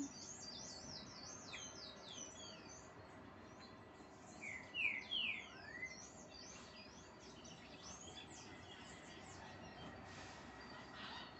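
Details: Marmosets calling while being fed: many short, thin, high chirps and twitters in a steady scatter, a few clearer falling whistled notes around the middle, over faint background hiss.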